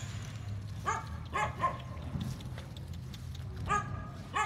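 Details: A cream-yellow, black-tongued Phu Quoc Ridgeback gives a few short, high, yelping barks over a low background rumble.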